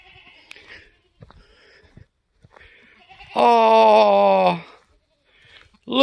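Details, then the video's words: Newborn F4 mini Alpine buckling, black with white frosted ears and nose, born on a homestead on March 13, 2021, gives one loud wavering bleat lasting about a second; a person speaks softly nearby and faint rustling precedes it. "3rd baby goat born on homestead today"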